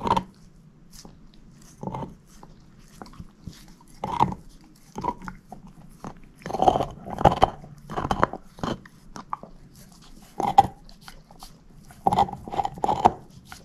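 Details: A female shepherd mix, Moose, crunching on a bone indoors; sharp scattered bites and short clusters of gnawing separated by near-silent gaps, a soft low hum running throughout.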